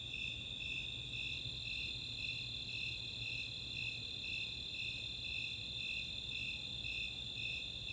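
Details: Summer night chorus of Snowy Tree Crickets and Four-spotted Tree Crickets in the Chautauqua open space, Boulder, Colorado: high pulsed chirps about twice a second over a steady, unbroken high trill, with a faint low hum beneath.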